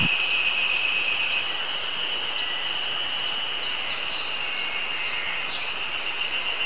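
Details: Terpnosia nigricosta cicadas on a mountain on 24 May 2019, newly begun singing that season: a dense, unbroken high shrill hum, with a few quick down-slurred bird notes above it, among them Eastern crowned warbler and tit song.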